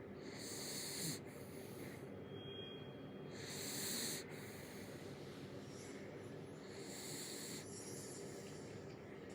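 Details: A sleeping dog snores in slow, breathy rhythmic pulses, roughly every three seconds, with a hissing noisy texture spread across a broad range and a steady low background hum.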